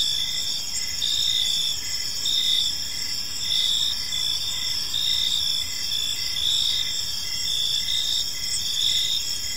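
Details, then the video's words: Gentle cricket chirping in a serene park at evening: rhythmic high trilled pulses, each under a second long, repeating steadily above an unbroken buzzing insect backdrop, with faint low-frequency hum beneath. "Park Serenade: Cricket Sounds in a Peaceful Park | Evening Ambience"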